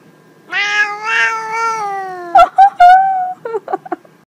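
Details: Pet cat letting out one sustained, nasal meow that holds its pitch for around two seconds, then breaks into short, higher chirps and a couple of quick clipped mews.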